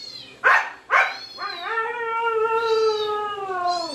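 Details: Husky responding to dog sounds with two abrupt barks, then a long steady harmonic howl that holds its pitch for over two seconds before dropping at the end.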